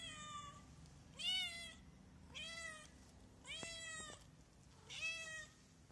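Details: Four insistent meows from a hungry stray cat, each rising then falling, roughly one per second, with a faint steady rumble of background noise between calls.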